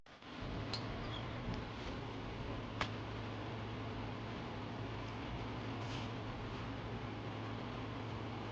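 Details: Quiet indoor room tone with a steady low hum like a fan, a few faint ticks and one sharp click near the middle.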